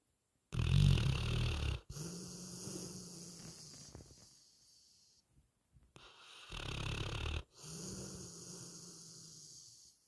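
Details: Retriever dog snoring while asleep, two cycles: each a harsh, loud, low rattling inhale lasting over a second, followed by a quieter humming exhale that fades, with a short silence between breaths.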